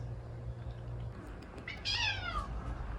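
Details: Odeuri, a domestic cat whose voice went hoarse after tooth extraction surgery, gives one short meow that rises and then slides downward, over a constant low indoor hum.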